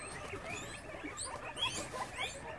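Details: Guinea pigs at a rescue sanctuary in Brisbane, Australia, in the evening: faint, short rising squeaks come in quick succession over steady rustling and pattering in the enclosure.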